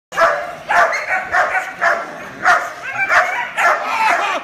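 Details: A young German Shepherd, a trained puppy with good house manners, gives loud, deep barks in quick succession, about eight sharp bursts in under five seconds, each short and forceful with brief pauses between them.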